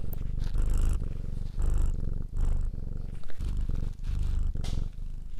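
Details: Domestic cat purring up close, a deep low rumble in bursts of roughly half a second to a second, each separated by short breathing gaps, with soft rustling touches above the rumble.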